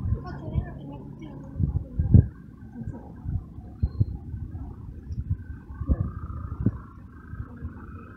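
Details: Young male feral kitten from a city garden purring after a meal, a deep low rumble pulsing irregularly with louder throbs, no high sounds above it.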